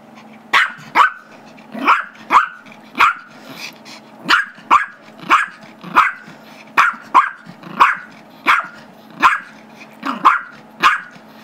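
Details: Small Chihuahua/Yorkie mix dog, Gizmo, aged 5, barking steadily during a squeaky-toy tussle with a 2-year-old Yorkie; bright, high yips repeated roughly every half second to second, some doubled, with a low growly hum beneath.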